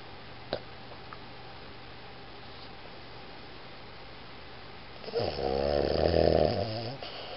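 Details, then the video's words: Iggy, a Boston Terrier, snoring indoors: after a quiet stretch, a single long, rough, rattling snore swells near the end and lasts about two seconds, over faint steady room hum. "ボストンテリア イギー いびき"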